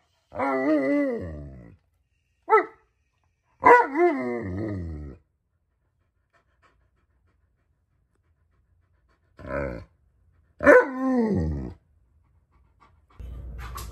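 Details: An Alaskan Malamute called Tonka complains impatiently during breakfast cooking. Drawn-out, quavering moans and brief yips come in clusters, then a long quiet stretch follows before more wavering cries and a closing noise.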